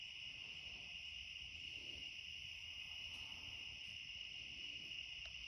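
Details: Cicadas singing after dark in a back yard at the close of summer, their steady high droning chorus unchanging across the clip over faint low background noise.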